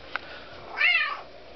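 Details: Indoors, a hungry, talkative female kitten lets out one clear, arching meow lasting under half a second, with a click just before and quiet room sound around it.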